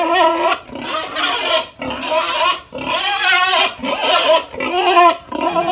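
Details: Crying pig produces drawn-out, piercing, wavering screams, each about a second long. Short pauses separate the screams, and there are no other sounds.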